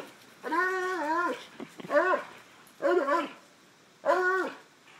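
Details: Treeing Walker Coonhounds at play give four drawn-out, tonal bays or howls, each rising then falling and lasting about half a second to a second, spaced about a second apart in a small room.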